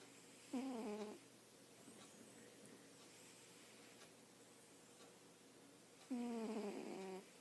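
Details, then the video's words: Domestic cat asleep and snoring, two rasping, tonal snores about five seconds apart, the second longer and wavering, with soft room hiss in between. "Snoring cat"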